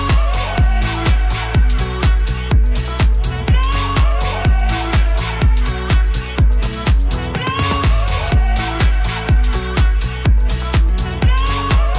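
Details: Upbeat electronic dance music with a steady four-on-the-floor beat at about 125 beats per minute, no animal sounds heard.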